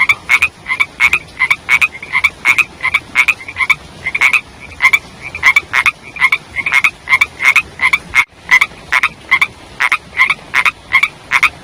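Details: Young frogs croaking in the rainy season: a steady run of brief bright pulses, some doubled, with a short break in the sound around the eighth second.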